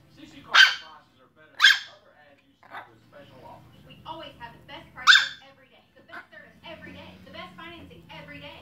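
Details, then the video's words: Pomeranian barking: three sharp, loud yaps spread over about five seconds, each a short bright burst, with a person talking in between and after. "Pomeranian barking"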